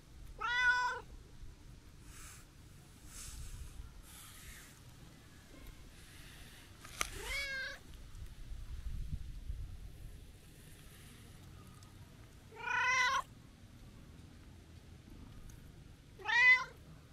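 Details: Friendly brown-and-white tabby stray cat talking more than usual during a New Year walk: four sharp, bright meows spread over seventeen seconds, with quiet rustling and faint footsteps between them.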